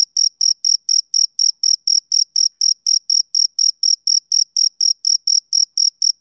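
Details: Rhythmic, high, ringing chirps of a male cricket on a summer evening, each short burst following the last at about four per second, clean and alone.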